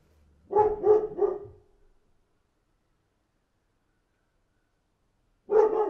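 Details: Barking dog outside: a quick burst of three deep barks, a long quiet gap, then another bark starting at the end.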